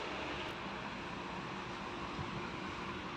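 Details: Steady broadband rumble and hiss like engine or traffic noise, with no animal voice heard.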